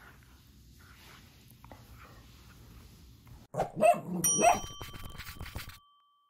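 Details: A big dog plays gently with a smaller dachshund. A quiet stretch gives way to two short, harmonic yelping barks close together. A steady ringing bell-like tone follows them, with scuffling playful noise underneath.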